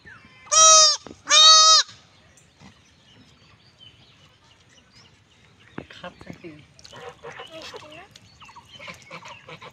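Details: Goat kid in a village being castrated gives two loud, harsh, harmonic bleats in quick succession, followed by quiet rustling, clicks and faint background voices.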